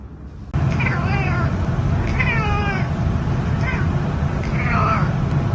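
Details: Several pet cats in a funny compilation, meowing at feeding time in a home: four short wavering meows with rising and falling tones over about five seconds, against steady low household rumble and a woman talking.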